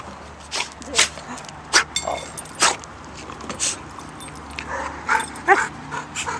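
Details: Dog barking in quick, sharp bursts, roughly one every half second to second, with some irregular clatter and a steady low background rumble.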